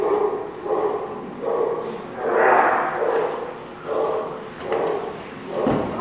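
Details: Mid-pitched dog barks repeat at uneven intervals of roughly half a second to a second, recorded on 3/11/16. One louder, broader bark stands out in the middle, and a low background hum runs throughout.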